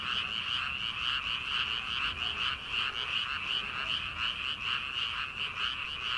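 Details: Early-summer rice paddy frogs before transplanting season: numerous frogs croak together in an unbroken wall of sound, with pulsed notes repeating a little faster than once a second.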